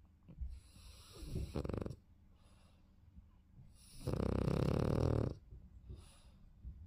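A French Bulldog snores in loud, rasping bursts with quieter breaths between.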